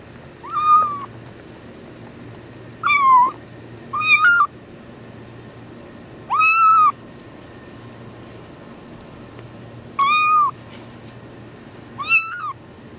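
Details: Badger, a tuxedo kitten, yelling while being held: six loud, high meows with strong harmonics, each under a second, spaced irregularly a few seconds apart over a quiet, low background hum.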